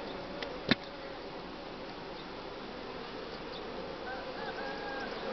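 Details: Honey bee colony in spring, developing as the brood nest is opened up by the beekeeper: a steady, dense hum centred low-mid, with faint higher whines over it and one sharp click near the start.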